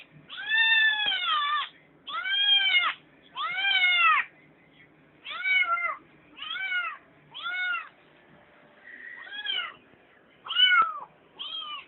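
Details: Kitten whining for something from the refrigerator indoors, about ten insistent drawn-out meows, each arching up then down, coming roughly every second, with brief pauses between and a faint voice.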